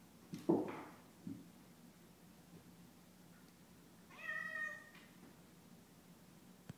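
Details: Mabel, a Bengal kitten, chasing her own tail while another cat, Franklin, looks on indoors; one clear rising-then-falling meow midway, preceded by a few thumps and scuffles from play in a quiet small room.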